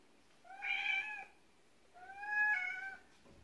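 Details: Siberian cat indoors on its second day of being taught to communicate with talk buttons, giving two steady, drawn-out meows about a second and a half apart in a quiet room.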